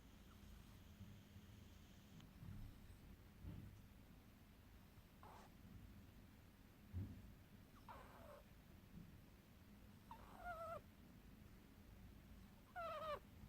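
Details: Sleeping pet ferret named Lilly Fee snoring in deep sleep: faint nasal snorts and short squeaky whistling breaths come about every two to three seconds, growing clearer near the end, over a low steady room hum.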